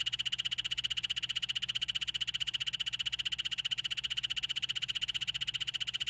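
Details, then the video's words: Continuous high buzzing trill of a poison dart frog, made of very fast, evenly spaced pulses at a constant pitch, unbroken throughout with a faint low hum beneath. "5 popular poison dart frogs - call and sound"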